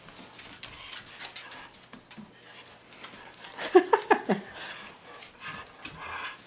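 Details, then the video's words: Tibetan Mastiffs playing tug of war indoors: a short cluster of throaty, harmonic growl-whines near the middle of the clip, set among soft scuffling, panting and rustling. "Tibetan Mastiffs playing Tug O War"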